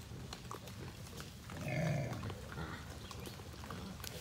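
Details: A big feral boar gives a deep, rumbling growl at a person that swells and fades over about a second, at feeding time when feral hogs gather.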